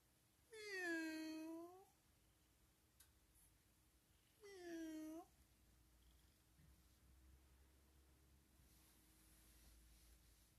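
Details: Friendly, playful domestic cat indoors giving two clear meows about four seconds apart, each a rich harmonic call that rises then falls, the first longer, followed by quiet room hum.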